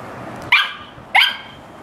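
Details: Dog barking during playtime, with cats around: two short, sharp barks about half a second apart, over faint background hum.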